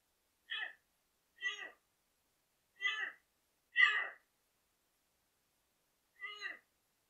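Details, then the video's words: Doe deer bleating as she stands back before entering a yard where fawns keep licking salt, ignoring her; five short, nasal, harmonic bleats spaced about a second apart, with a longer pause before the last, over a quiet background. "a bleating doe"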